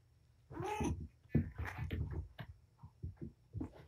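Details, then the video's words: Patience, a mother cat with five kittens at Purrfect Pals, romps with her litter in a small room; a drawn-out arching meow rises and falls, followed by quicker rough chirps and scuffling. "Mama Playtime"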